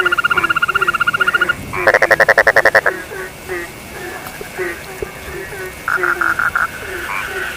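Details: Frogs calling together: rapid pulsed notes repeated in quick trains, a buzzy burst of fast clicks in the middle, and lower short croaks that drop in pitch, all forming a dense overlapping chorus.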